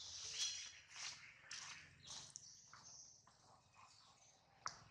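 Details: Baby monkey Adler, held in the hands of a small monkey, crying because he misses his mother and is hungry: a string of shrill, high-pitched wails and squeals in short uneven bursts, with soft rustling beneath.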